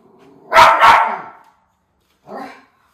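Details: Sharp double bark from a Miniature Schnauzer on crow watch in Maine, August: two loud barks close together, then a short pause and one softer, muffled woof.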